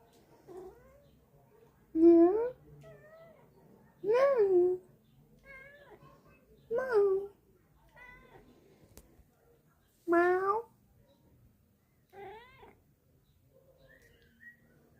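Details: A cat named Micky answers with a series of loud, drawn-out meows, each rising then falling. They come roughly every two to three seconds, with softer, higher mewing calls in the gaps, indoors in a quiet room.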